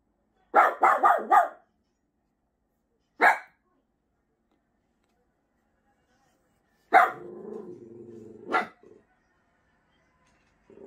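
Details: Miniature Pinscher barking: a quick burst of four sharp barks, a single bark near three seconds, then a bark sliding into a low rumbling growl with more barks, in a quiet indoor setting.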